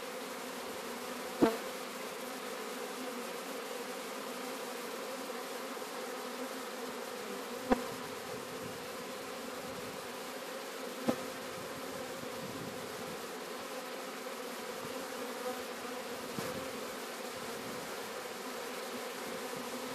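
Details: Swarm of Sicilian honey bees, Apis mellifera sicula, being captured at Sciacca: a steady, low droning hum of many wings throughout, with a few sharp knocks or clicks at irregular intervals.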